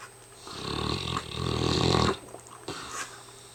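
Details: Hamish, a very tired mastiff, snores indoors: one long, rough, rumbling inhalation of about a second and a half, deep and pulsing, then quiet breathing with a brief snuffle near the end.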